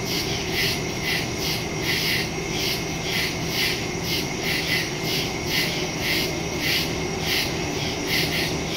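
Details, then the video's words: Woodland crickets at night, September 2, 2023, phone and stereo microphone recording; evenly spaced high chirp pulses roughly every half second, several callers overlapping, with a faint low drone underneath. "Crickets in the woods at night"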